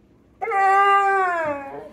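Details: Pit Bull answering its owner indoors in a 'talking' voice, heard by the owner as a no. A long, smooth, vowel-like moan holds its pitch, then slides downward at the end.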